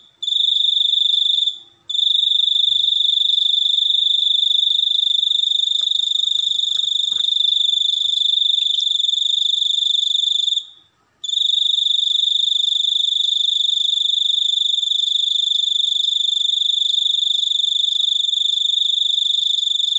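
A cricket sings a piercing, high-pitched trill that runs almost without pause. The even buzzing tone stops briefly twice, then carries on unchanged in a quiet setting.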